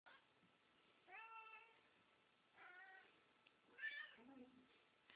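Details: Two talkative pet cats, a tabby and a Siamese, meow loudly indoors while their food is prepared; two drawn-out harmonic meows, then a short higher chirp and a lower trailing mew, with a woman speaking softly to them.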